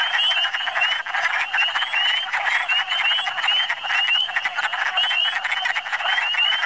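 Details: Many wood frogs calling in spring in Michigan: a continuous dense chorus of rapid, overlapping croaking clucks with no other clear sounds.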